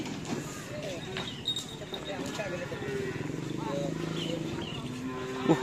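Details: Cattle at a karapan sapi bull race training session on the Asemanis field in Pamekasan, Madura, ahead of team Gagak Rimang's anniversary; low, drawn-out moos rise among crowd chatter and passing engine noise.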